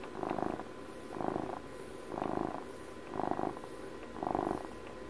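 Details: A house cat celebrating its twelfth birthday purrs steadily, heard at close range: five coarse, vibrating bursts pulsing in time with its breathing, evenly spaced about a second apart in a quiet room.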